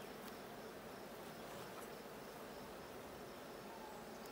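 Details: Continuous humming of bees inside a blue hive opened for a check on 6/20/22, a broad, level buzzing wash that stays constant from start to end.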